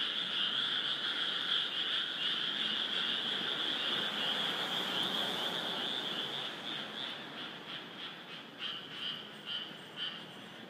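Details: Massed frog chorus at Esaka, Suita city, just north of central Osaka, 2015: continuous high trilling that gradually thins and softens, breaking into separate pulsed calls toward the end.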